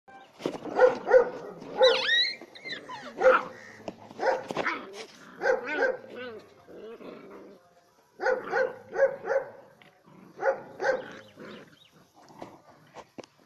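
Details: Dog barking in rapid, uneven bursts, sharp harmonic barks tumbling over one another with short pauses, a few higher yelping notes mixed in, and a brief lull in the middle before another volley.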